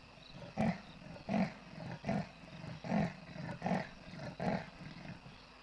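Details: A large male leopard at Kwa Maritane, Pilanesberg National Park, gives its sawing call: a series of deep, rasping grunts, each under a second apart.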